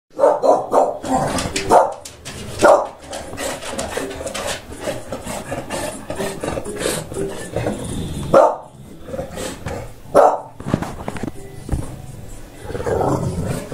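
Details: English Bulldog named Fudge giving short barks and grunts at irregular intervals, with broadband rustling and scuffling noise throughout and quieter stretches between bursts.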